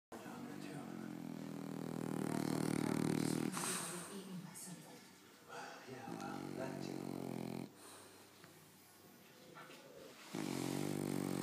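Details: A pet French bulldog snoring indoors in a low-quality recording: long, rough, rasping snores with a buzzy low tone, spaced about every three to four seconds, with quieter breathing between them.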